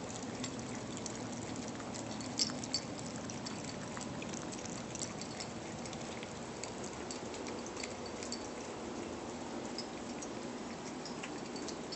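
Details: Steady wet crackling and scattered clicks, like chewing or dripping water, with no animal calls. A soft background hiss runs throughout, and no animal voice can be picked out.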